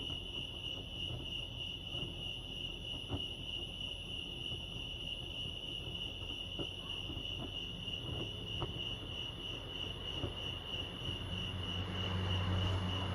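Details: Crickets chirping by Lake Arrowhead, California: a constant high-pitched pulsing drone. Occasional soft clicks break through, and a low hum swells near the end.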